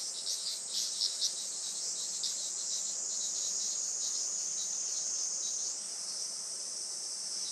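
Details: Summer cicada chorus at a traditional Japanese farm in Saitama on a sunny late morning, 20 July 2024: shrill continuous buzzing with quick pulsed bursts early, then a sustained whining tone that shifts higher near the end.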